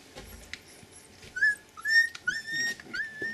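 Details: Twenty-day-old Siberian Husky puppies, born 16 February and filmed 8 March, offspring of Gau and Arkan, give thin whistled whimpers, some rising and some falling, scattered irregularly against a quiet background.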